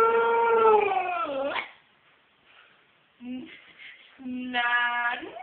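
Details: A Siberian Husky howls in long, drawn-out tones, trading howls with a girl in a contest over who can howl longest.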